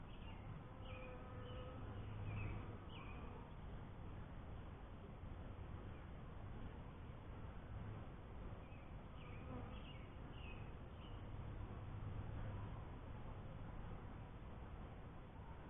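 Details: Honey bees at a first hive, a steady low droning hum running throughout, with brief high chirps from small birds scattered in the background.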